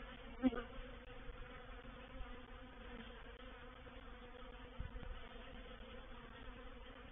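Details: Honey bee reproductive swarm moving into a bait hive (swarm trap) at Painted Peacock Manor, 04/07/21: steady low droning hum of many wings, with one bee buzzing loudly close by near the start.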